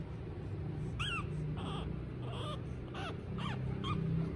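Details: Small female Pug puppy, the tiniest of her litter, giving a run of high, thin whines and squeaks, each sliding down then up, repeated several times within a few seconds over a steady low hum.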